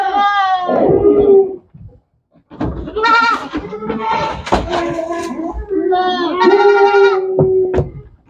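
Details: At a goat farm, goats give drawn-out, tremulous bleats, one held steady for over a second, with knocks and shuffling noises between calls.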